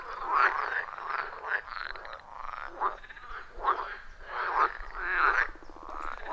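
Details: Loud rhythmic calling of frogs at a wild pond deep in a forest, taken with an iPhone 14 Pro and Shure MV88+; overlapping raspy croaks in near-continuous rolling bursts, unfiltered and free of music or speech.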